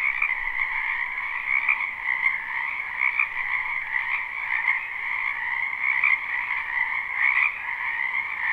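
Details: Numerous frogs in a spring wetland behind a house, captured live with no looping; thick, constant croaking chorus with rhythmic pulses of louder calls every second or so over steady mid and high tones.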